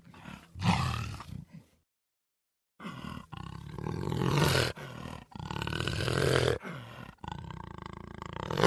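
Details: Puma giving low, gravelly roaring calls in broken bursts, each a few seconds long, with strong low rumble under raspy harmonics and a short silence early on.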